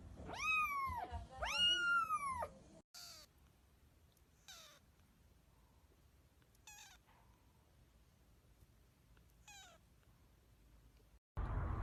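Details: Little kittens meowing; two loud arched meows at the start, followed by several fainter, shorter meows spaced a couple of seconds apart in a quiet setting.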